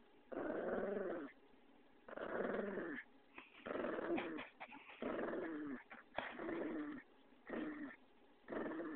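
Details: Pug Vinny, playing indoors, produces steady rumbling growls in repeated bursts of roughly a second each, about seven across the stretch, separated by short pauses, while a person teases him about biting.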